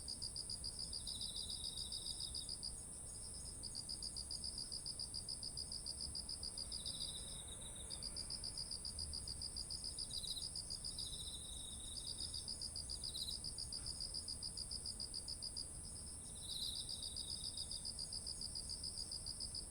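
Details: Chorus of autumn insects by rice fields heavy with ripe grain, captured with a ZOOM H1essential; an unbroken piercing whine overlaid by rapid pulsed chirping trains and brief lower buzzy trills, with faint low rumble beneath.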